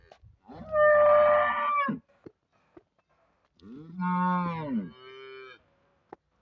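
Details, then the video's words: Friesian cow on a livestock sale farm in Pakistan lowing twice: a long loud harmonic-rich moo of about one and a half seconds, a short pause, then a second moo that rises and falls before trailing off. "Friesian cow"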